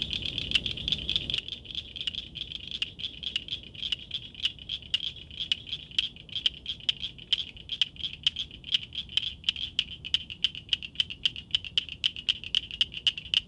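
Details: Nocturnal frog or toad: a long run of crisp, high ticks repeated several times a second, steady for over ten seconds, with low rumbling background sound fading out after the first second.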